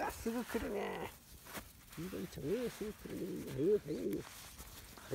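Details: Young field-line Labrador Retriever puppies, 31 days old, playing on grass: busy overlapping yips and arching whimpers, rising then falling, repeated in quick clusters, with rustling in the background.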